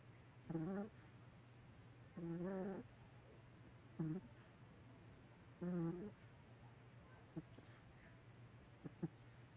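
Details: Chihuahua asleep and snoring, giving breathy, buzzy voiced snorts of varying length, four stronger ones about every two seconds followed by fainter clicks, with a constant low hum underneath.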